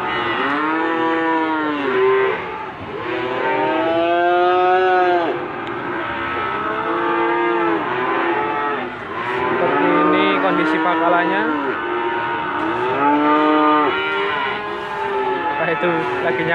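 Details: At the Gondanglegi animal market in Malang, East Java, Limousin cattle call on 12 February 2020. Repeated arching, nasal moos from several animals come in bursts of a few seconds, one after another, over steady market bustle.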